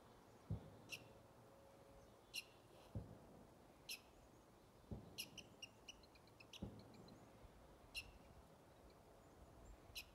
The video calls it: Squirrel squeaking and chirping